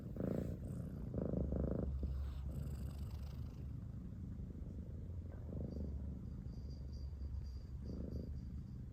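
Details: Cat purring softly in uneven bursts, a low rumble broken by pauses, with a faint high whine and some light background rustling.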